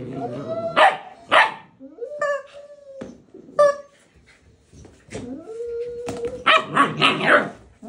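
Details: An older husky being pestered to play by a puppy with a toy chicken. Several short, harmonic yips and barks come about a second apart, then a long level whine, ending in a burst of overlapping noisy barks and scuffling.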